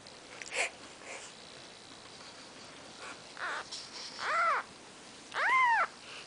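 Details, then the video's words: Maine Coon kittens on their fourth day of life, Nikita's brood, with two clear high arching mews near the end after faint quieter squeaks and background hiss. "Maine Coon Kitten"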